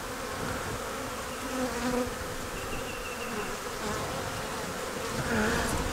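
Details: Honey bees at an open hive during an inspection for eggs, brood, stores and a queen, the morning after a cool night in the 30s; a steady droning hum with faint higher tonal streaks drifting over it.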